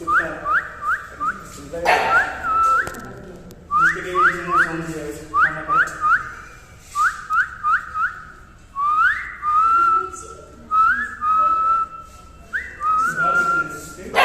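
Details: A female Rottweiler puppy, described as angry, gives high, squeaky whines and yips in quick bursts, each note sliding upward.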